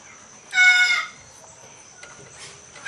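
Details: An Asian leopard cat mating with a Bengal cat gives a single harsh, strained cry lasting about half a second.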